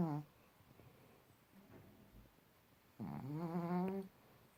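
A Pekingese snores: a brief rasp, then one long, buzzy, rising breath in a quiet room.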